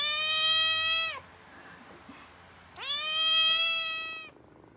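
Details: Two drawn-out, clear meows, each over a second long and slightly rising at the start, from Oreo, a tiny rescued cat on the mend after gastroenteritis that also spread to the resident cat; near-silent pause between calls.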